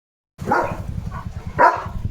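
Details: Leo, a pet German Shepherd, plays with a new coronavirus-shaped squeaky ball and gives two loud, gruff barks about a second apart, with a low rumbling background underneath.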